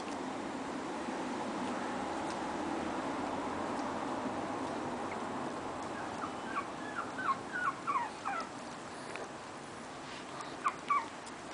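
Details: Puppies from Lola's litter, five weeks and two days old, recorded 13 April 2010. They give short, high, falling whimpers in quick clusters during the second half, over a steady background hiss.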